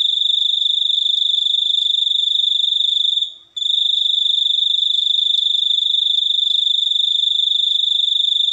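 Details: A cricket sings a steady, shrill pulsed trill, rapid and even, broken once by a short silence after about three seconds, then resuming unchanged.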